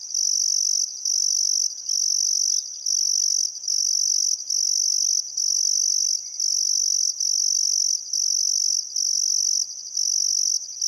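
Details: Sunset chorus of crickets by the Barcoo River, Welford National Park, Outback Queensland, on a still summer afternoon; a piercing continuous trill cut into bursts of about one second, with soft distant bird notes in the background.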